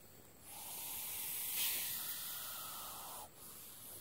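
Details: Hognose snake, a harmless non-venomous snake called Missouri cobra, puts on a cobra-like defensive display; a long broad breathy hiss rises and holds for nearly three seconds before cutting off, with a faint second burst after.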